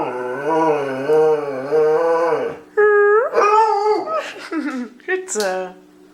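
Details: Dog singing on command at home: a long quavering howl, then short rising yelps and a quick run of yips and whines, over a constant hum.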